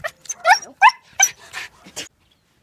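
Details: Leashed dog overly excited while greeting people: short yelping barks mixed with whiny squeaks packed into two seconds, then silence.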